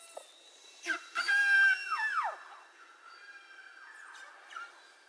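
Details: Beluga whale underwater, from research into mother-calf communication and disruption by human-made sound: a loud harmonic whistle holds level, then bends sharply downward, after a click burst, followed by fainter wavering tones.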